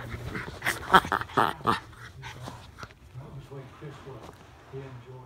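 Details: Norfolk Terriers Ernie and Hank practising wrestling moves together: a quick run of sharp, loud yaps and barks up front, then quieter, low rumbling growls and grumbles.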